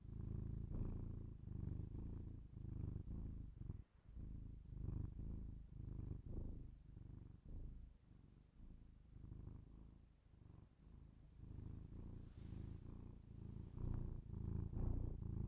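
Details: Binaural ASMR recording of a domestic cat purring close up: deep throbbing rumble in uneven breath pulses, a short pause near four seconds, and light rustling or brushing noise toward the end.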